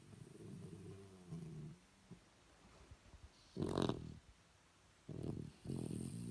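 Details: Shih Tzu dogs snoring: a drawn-out low rumble, then three louder, harsher snorts spaced a second or so apart, each a rough nasal burst, in a small quiet room.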